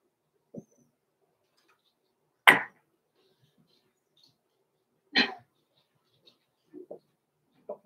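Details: Six-week-old blenheim Cavalier King Charles Spaniel pups Roman and Blue, from a small litter born November 14, 2022, in a home puppy pen. Short, sharp yips sound roughly every two and a half seconds, with quiet rustles and taps between.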